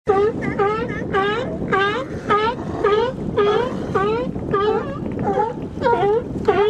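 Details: Sea lions barking up close at Nanaimo, British Columbia: a rapid chorus of harsh, harmonic barks that rise and fall, repeated nearly twice a second, with wind and water noise behind.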